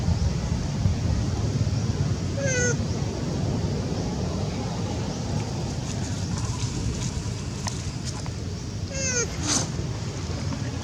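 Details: Young mother monkey, on the second day without her missing baby, gives short, tonal, falling cries at about 2.5 and 9 seconds over steady low engine-like rumble and hiss.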